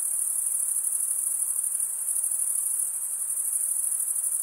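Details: High, thin, rapidly throbbing chirping of crickets, males rubbing their serrated wings together, sounds as a seamless continuous chorus over a faint soft background hiss.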